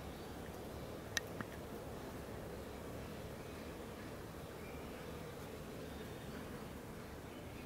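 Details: Bees feeding on a blooming Leptospermum 'Aphrodite' tree produce an unbroken, even humming drone, with one sharp faint click just past the first second.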